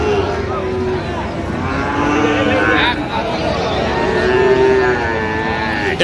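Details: Bull calves of Friesian and cross breeds offered for sale at Raniganj market, Dinajpur, Bangladesh, 16 October 2025. Two low moos are heard, one at the start and another later, beneath loud market talk and haggling over prices.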